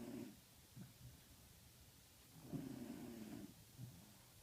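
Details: On 22 December 2014 at about 8:45 pm, a Welsh Corgi snores with low, rumbling breaths, a long rasping one near the end.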